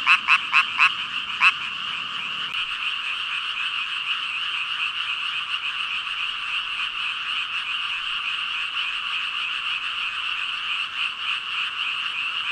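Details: Thousands of frogs, about 5,000, in chorus: a few loud separate croaks open the recording, then blend into a continuous, even wall of high rasping calls with faint rapid pulsing.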